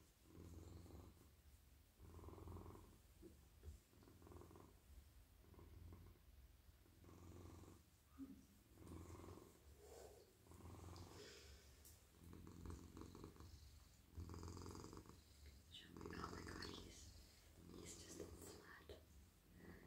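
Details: Very friendly domestic cat, a silky male, purring deeply while stroked all over in a lap at night; rhythmic rumbling pulses repeat roughly every second and a half, overlaid midway by louder rustling and scratching from handling his fur.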